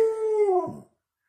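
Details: Pet dog howling along as its owner sings indoors. One steady, clear, tonal howl holds level, then slides down and breaks off in under a second.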